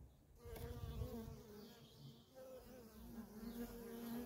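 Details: Worker honey bees streaming in and out of a feral colony, their hum wavering in pitch as bees fly close by, a dense overlapping buzz with a brief low rumble near the start.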